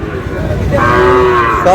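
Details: At Ambari market in Dinajpur, a Sahiwal bull calf offered for sale gives one sustained, even-pitched moo lasting about a second, ending in a brief higher cry, over busy market chatter.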